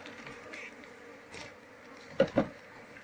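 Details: Brief stretch of Apis cerana colony hum during a nest opening to catch the queen; low continuous buzzing, then two quick sharp knocks close together.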